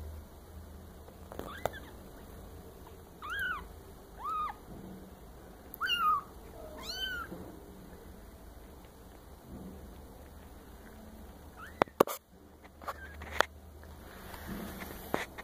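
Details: Maine Coon kittens, solid red and red tabby, giving a series of short, thin meows, several with rising-then-falling pitch, spaced over about eight seconds against a low room hum, followed by a few clicks and knocks.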